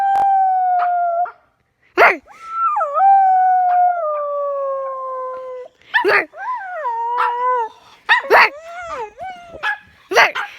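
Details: Pet dog making odd howling sounds: drawn-out tonal howls with falling, wavering pitch, interrupted by short sharp yips and clicks, in bursts across about ten seconds.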